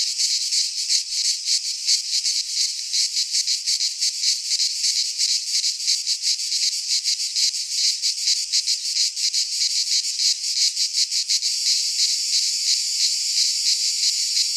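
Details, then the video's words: Greek cicadas in a pine forest in midsummer, their shrill buzzing song pulsing rapidly, with the pulses growing tighter and then smoothing into a continuous hiss near the end. "Cicadas singing in midsummer - Nature sounds from the Greek fauna - Sounds of cicadas"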